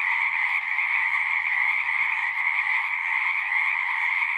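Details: Pond frogs in a horse pasture chorus without pause, captured with a Zoom 6; overlapping calls merge into a constant buzzing wash at two pitch levels, with a faint low hum underneath.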